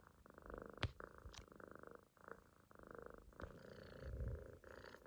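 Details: Munchkin kitten sleeping relaxed in a loaf position on its owner's stomach, snoring: soft rhythmic rasping breaths in pulses of about a second, low and steady, with brief clicks between.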